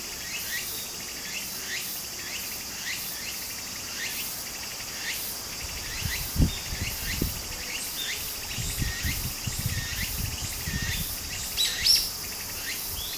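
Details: Cicadas singing in summer beside a small stream in Japan: a steady high shrill drone with repeated short rising buzzy phrases, over the low rush of flowing water and a few soft thumps.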